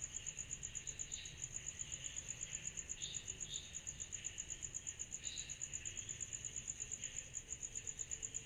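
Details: Cicadas calling on a summer night: a loud, evenly beaded shrill trill pulses rapidly and steadily, while lower buzzy swells rise and fall irregularly beneath it in an otherwise quiet background.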